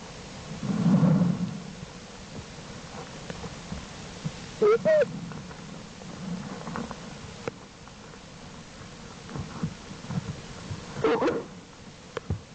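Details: American black bear mother Jewel tending her two cubs, Herbie and Fern, in the den on 7 April 2012; two brief tonal squealing calls near five and eleven seconds over steady hiss, low rumbling and rustles.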